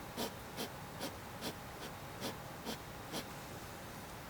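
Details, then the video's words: Mysterious cough-like panting from a hedgehog, heard indoors: hoarse, breathy puffs spaced roughly every half second in a fairly steady rhythm, with faint background hiss. "Mysterious noise of hedgehog /Seltsame Geräusche von einem Igel"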